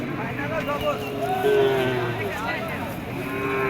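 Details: A young bull at a busy cattle market gives a drawn-out, mid-pitched moo that swells and fades over about a second, amid steady crowd chatter and bargaining voices.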